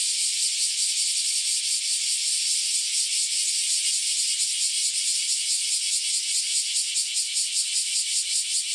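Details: Recently emerged cicadas, out after about ten years in the ground, in a noisy group chorus; a high, harsh sizzling drone with quick regular throbs roughly two or three per second, unbroken for the whole stretch.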